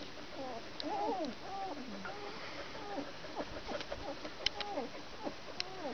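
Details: Border Collie puppies, Bajo Aragon, 19 days old, giving a run of thin squeaky whines, each a short rising-then-falling arc, overlapping from several pups, with faint clicks and rustling behind.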